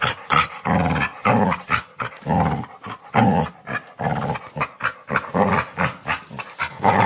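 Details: A dog snarling: harsh, gritty growls in uneven bursts, some long and rumbling, broken by brief gaps, with raspy breaths between them.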